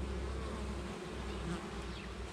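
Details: Morning activity at a hive set in an organic orchard of five and a half hectares, June 2020: many honey bees produce a continuous deep drone with a faint higher buzz of passing insects above it.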